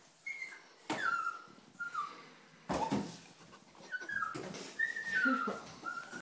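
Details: Early-morning cries from a puppy caught in a tissue box, with long, high whines that waver and fall, broken by loud bangs and scraping of the box around three seconds and again near four.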